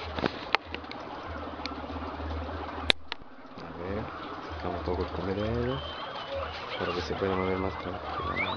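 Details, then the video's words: Improved Inti-line male guinea pig in heat mating with an improved Peru-line female on a farm in Peru: low, buzzy, pulsed rumbles repeated in short bursts, with a man talking quietly and steady background hum. "COMO SE APAREAN LOS CUYES"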